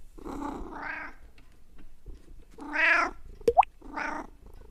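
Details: House cat making unusual sounds: soft, throaty murmured meows with a purring, rolling quality, a brief sharp squeak in between, and a final short meow.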